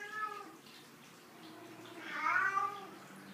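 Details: A black-and-white Maine Coon kitten, born 30 August 2012, gives soft meows indoors: a faint early mew, then a clearer drawn-out meow that rises and falls, over low room noise.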